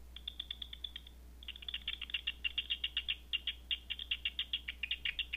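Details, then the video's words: Bat echolocation picked up at night by a Batseeker 4 detector: rapid dry clicking pulses in quick trains, a short gap near the first second, then a denser run of ticks over a steady low electrical hum. "Batseeker 4 picking up Night Bat Sounds"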